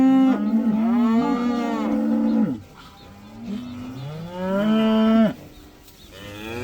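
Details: A herd of about 80 cows let outside for the first time; two long, loud moos, each holding a steady tone for over two seconds before dropping away, with quiet gaps between them.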